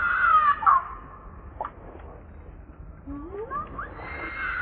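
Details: Hungry baby monkey Leo crying to beg milk from its mother: a loud wavering, squealing cry at the start, then quieter rising squeaks, and the harsh cry returning at the end.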